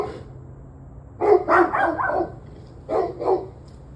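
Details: Barking dog, recorded 21 November 2023 at 7:06 pm: a rapid burst of four harsh barks, a brief pause, then two more in quick succession, with a steady low hum underneath.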